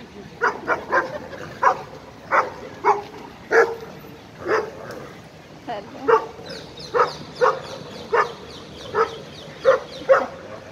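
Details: Dogs barking at a dog park while an 11-month-old Irish Wolfhound plays with an Italian Mastiff, its best friend. Sharp single barks come every half second to second, with a person talking in between.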